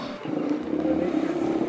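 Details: At a Pacific coast colony with nursing areas, large male Steller sea lions give deep, rumbling roars and grunts in a steady, growling chorus.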